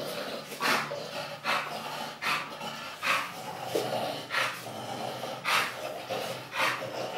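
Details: English bulldog giving rhythmic, noisy, breathy snorts or pants, roughly one every second and fairly steady, each a short hissing burst, recorded in a small room.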